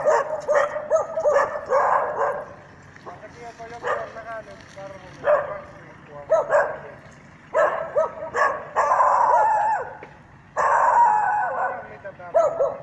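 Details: Training with a mechanical bear at Jokela, Finland: a dog barks almost continuously at the bear in loud, rapid volleys and longer rolling bursts, with short gaps and some voices mixed in.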